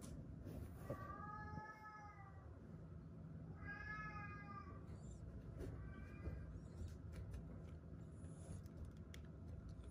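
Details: Fading little kittens, found leaning on one another and rescued, give three thin, wavering meows spaced about two seconds apart over a steady low rumble of background noise.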